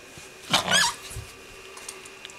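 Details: Two corgis play-fighting over a rope; one gives a single short, whiny yelp that sweeps upward then falls within half a second, followed by quiet rustling and faint low growl-like sounds.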